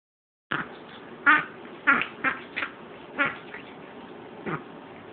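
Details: Yorkshire Terrier recorded on 13 May 2009 having a reverse sneeze: a series of harsh, snorting, honking inhalations at irregular intervals, roughly seven bursts over four seconds.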